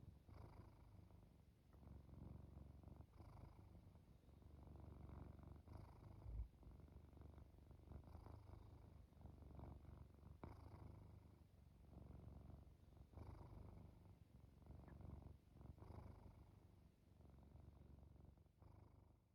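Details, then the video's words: Cat purring and snoring on the way to sleep: deep low rumbles in breath-length surges of a few seconds each, separated by short quiet gaps, with a single soft knock near the middle. "Immerse Yourself In This Cat Purring, Snoring and Falling Asleep"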